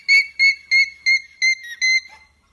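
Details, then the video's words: Alpaca sounding its alarm, a warning of danger: six shrill, piercing, whistle-like pulses, each short and level in pitch, repeated roughly three times a second before stopping abruptly into silence. "Alpaca Alarm Sounds"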